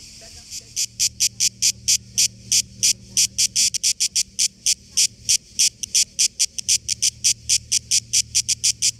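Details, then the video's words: Cicadas (tzitzikas) in trees in Greece, by the beach, produce a loud, high, rasping pulsed buzz, short bursts repeated about four to five times a second in a steady run, with a faint low hum underneath. "Cicadas Everywhere in Greece!!! | Цикады в Греции везде!!!"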